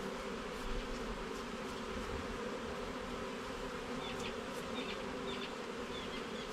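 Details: Thick, continuous buzzing of honey bees as a garden hive is inspected level by level, a full droning hum with faint high chirps of other birds in the background.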